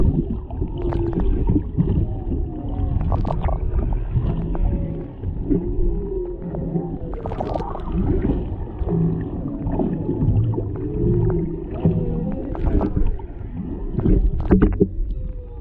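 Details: Mother and calf humpbacks near a boat off Maui, Hawaii, with a male in the background, singing underwater; a GoPro Hero 7 Black records a steady run of bending moans, short squeaks and whoops over a low watery rumble.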